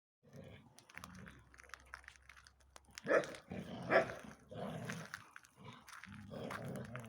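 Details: Belgian Tervuren refusing to give its ball to a bull terrier cross playmate, indoors; low rumbling growls come in bursts, with two sharper, louder barking yelps near the middle and more growling after them.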